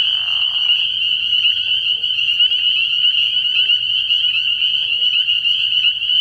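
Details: Many spring peepers in full chorus at a frog pond on an early spring night, high piercing peeps blending into a continuous ringing drone, a lower rough burst opening the recording and faint low clicks scattered through it.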